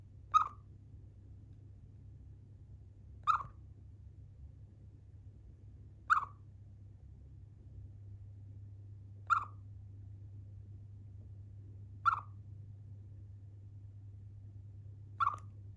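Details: Pet Siberian chipmunk named Chiro chirping while yawning and eating; six short, sharp single chirps spaced roughly three seconds apart over a low, steady background hum.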